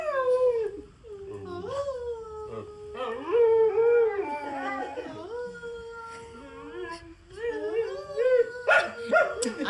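A dog howls in long, wavering tones, sliding up and down as a person sings along.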